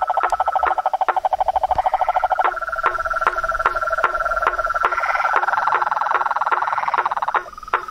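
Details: Wild frogs, toads and treefrogs in a dense night-style chorus: rapid trilled, pulsed calls at two pitches, steady sharp clicks roughly twice a second, one caller fading in near the end.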